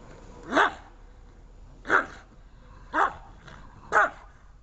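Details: Dobermann barking during protection training: four loud, sharp barks spaced a little over a second apart, each a short harsh burst, with a quiet background between them.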